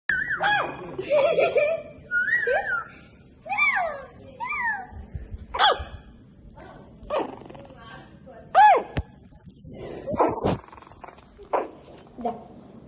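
A Shih Tzu puppy gives high, thin yaps and squeaky yelps, with a person's voice in the background.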